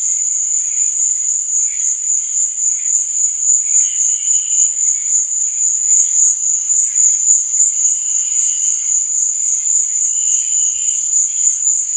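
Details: Crickets at night: a steady, shrill high-pitched trill runs without a break, its loudness pulsing several times a second, with fainter, lower chirping notes drifting in and out behind it.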